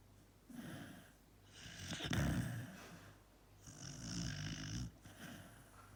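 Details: Bono, a sleeping Dachshund, snores in long rasping breaths, each a few seconds long with a buzzy, wheezy edge, rising and falling in slow cycles.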